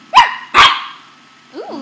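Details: A playful young male corgi, barking while biting at his owner's hand and shirt, gives two sharp, quick barks half a second apart, then a softer, brief vocal sound.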